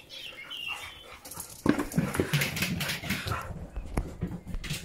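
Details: Siberian Huskies Faith and Bella, a mother and her daughter, playing together indoors: after a quiet start, a burst of rough, noisy grumbling growls with fast irregular scuffling sounds.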